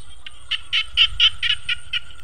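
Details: Frogs calling from rice fields in the evening, a little after 5 pm. High, rapid pulsed croaks repeat about four times a second in a steady run over a low rumbling background.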